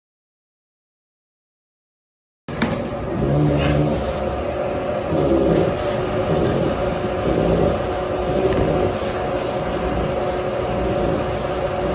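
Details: Silence for two seconds, then a steady low rumble of a moving car interior with faint scattered clicks and no clear animal sound.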